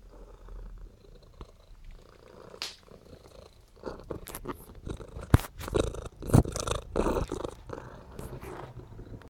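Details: Pet cat purring on command while seeking attention; a low, steady rumbling purr runs underneath frequent clicking and rustling handling noises indoors.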